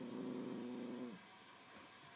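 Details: A 9-week-old Australian Shepherd pup named Zoe, not so sure about her newest toy, a tennis ball, gives a steady low growl for about a second before falling quiet against faint background noise.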